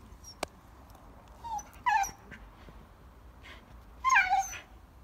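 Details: Female Hokkaido dog kept at a family home in Hokkaido, Japan, that makes talking-like sounds. Soft, high whimpers come in brief wavering bursts, the last one loudest and bending downward, over a low background hiss.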